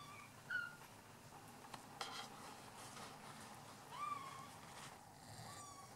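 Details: Bengal cat meowing several times in quick succession: brief clipped calls, then a longer drawn-out meow that rises and levels off, followed by a softer final one, with faint rustling between.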